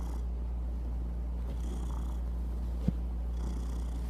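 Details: Domestic cat purring steadily, a low continuous rumble with a faint hum and one brief click partway through; quiet room background.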